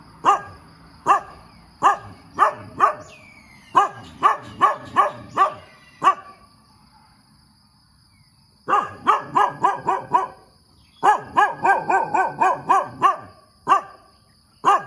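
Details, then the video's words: A dog barks vigorously in the morning, runs of rapid sharp barks broken by a silent pause of about two seconds, then dense clustered barking resuming; a faint continuous high hum persists throughout. "เสียงหมาเห่าตอนเช้า เห่าเก่งมาก"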